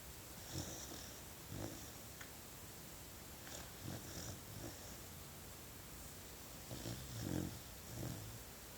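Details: A sleeping puppy snores softly indoors. Low, rough breaths come in short bursts several times across the stretch, some in quick pairs, over a steady faint room hiss.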